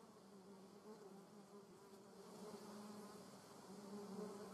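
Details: German wasp flying in a garden: a steady, low droning buzz with a strong hum and overtone, swelling slightly louder toward the end, with soft background hiss.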